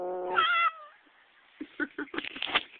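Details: Domestic cat "singing" with one loud, drawn-out, tonal meow that rises then drops and fades in under a second, followed by a string of short choppy bursts of other sound.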